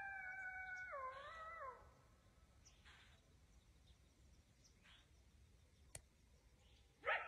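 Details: Wild coyote howling nearby at dusk in the woods, just below a deer stand as darkness falls. A wavering, sliding howl with rich overtones fills the first two seconds, then quiet woods with a faint click and a brief rustle near the end.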